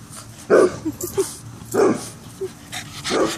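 A Boston terrier barks three times, each bark short and punchy, spaced roughly a second apart. Quieter little yips and whines fill the gaps between them.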